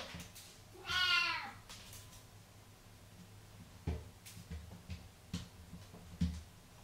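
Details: Indoor cat licking water left on a bathroom floor gives one drawn-out, wavering meow near the start, followed by soft irregular taps and clicks in a small, echoing room.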